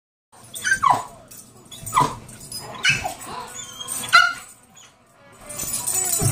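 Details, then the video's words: Rhodesian Ridgeback, a dog crazy for bubbles, barking while chasing them: four sharp, excited barks about a second apart, each a short rough burst, with music playing faintly in the background. "Bubble freak ridgeback"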